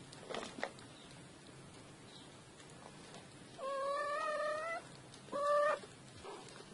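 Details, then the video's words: Five four-week-old kittens playing together; two thin, steady meows, the first about a second long and the second shorter, with faint scuffling and soft thumps of play around them. "4 Week Old Kittens Playing Together"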